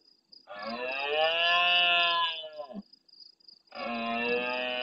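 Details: Large red deer stag roaring hard at nightfall close to a live camera in the Doñana National Park marsh at El Rocío, Almonte, Huelva, Spain, answering farther stags: two long, deep, rich roars, the first dropping at its end, over steady insect hiss.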